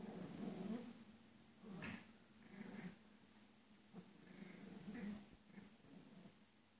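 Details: Two Pomeranians having fun playing and fighting together; low, rumbling growls come in short bursts of about a second, rising and fading several times, with soft snorting breaths between them and quiet background.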